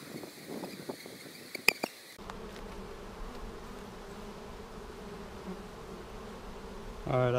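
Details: Honey bees in a hive opened on March 10, 2019, seven days after a vertical split with a double screen divider board, checked for queen cells. A sharp handling click comes first, then a steady, low, droning hum of many bees.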